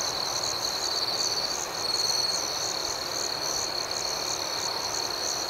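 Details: Crickets at night form a dense, ringing high-pitched drone. An upper layer beats in a lively, uneven rhythm, and the sound grows slightly louder around the middle.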